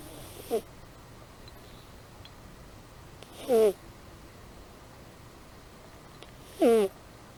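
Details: Amy, a domestic cat, snoring in her sleep: three whistled snores roughly every three seconds, each sliding slightly in pitch and carried on a hissing breath, with a quiet background between.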